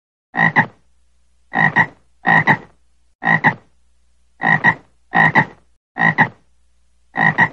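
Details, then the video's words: Frog croaking in a steady series: each call is a short rasping double pulse, two quick knocks run together, repeated about every second with brief silent gaps and an otherwise quiet background. "frog voice"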